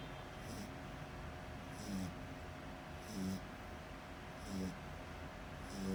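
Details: A sleeping French Bulldog snores loudly. Raspy breaths come in regular bursts about every 1.3 seconds, each carrying a short nasal whistling tone, over a steady low background hum.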